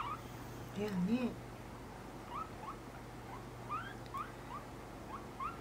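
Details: Pet guinea pig during nail clipping, giving short rising squeaks that repeat roughly every half second, with a few lower squeals early on, over a steady low hum.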